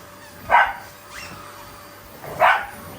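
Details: Pet Shiba Inu, sharing the scene with a Labrador, lunging at a vacuum cleaner as an affectionate display rather than anger; two loud clipped barks nearly two seconds apart and a softer brief yelp between them.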